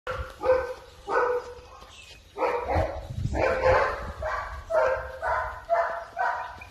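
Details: Purebred male German Shepherd puppy barking: a string of about nine short, harmonic yaps in quick bursts roughly every half second to second, with a brief pause near the middle and low rumble underneath.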